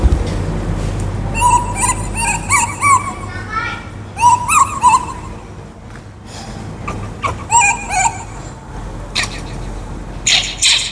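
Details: Baby monkey Kaka, a wild monkey, cries for fruit in clusters of wavering, whiny squeals, several in quick succession, then pauses, with clicks, rustles and a low droning hum underneath.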